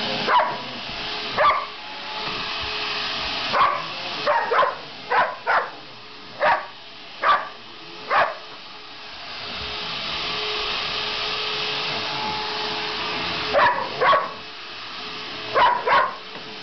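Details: Sasha, a pet dog, barks repeatedly at a vacuum cleaner she hates. Short sharp barks come singly and in quick clusters, roughly fifteen in all, with a long pause midway, over the vacuum's constant droning hum.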